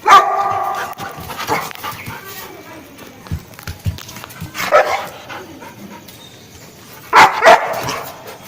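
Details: A 7-month-old Rottweiler, described as angry, barks in loud, rough bursts, strongest at the start and near the end, with faint voices and household noise in the quieter stretches.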